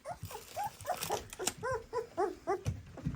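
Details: Hungry two-week-old puppies indoors on day seventeen, producing a rapid series of about ten thin, arched whines, each rising then falling in pitch, nearly two per second, with soft shuffling and clicking sounds between them.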